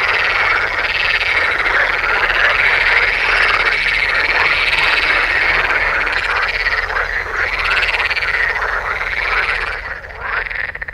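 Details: A dense chorus of male edible frogs in sun-warmed ponds in the Oldenburger Land, northwest Lower Saxony, from about early May: rapid rattling croaks, amplified by two vocal sacs, overlap continuously in a courtship concert heard far away.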